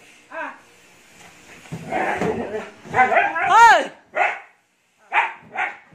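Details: Siberian Husky Ice, wild with energy after a bath, in the Philippines: a woman's voice overlaps rising and falling yelping whines, then three short sharp barks follow in quick succession.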